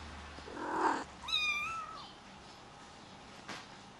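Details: White Highland Lynx kitten, a rare lynx hybrid, lets out one drawn-out, slightly wavering meow after a brief rustling noise, then quiet room tone.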